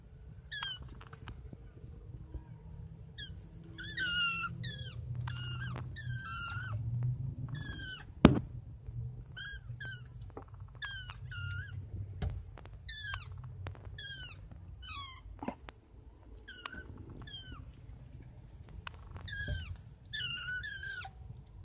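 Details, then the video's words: Five kittens at night giving high, rising-then-falling meows in quick irregular bursts, many short calls overlapping from several animals, with low room rumble and an occasional thump underneath. "5 Kittens at night!"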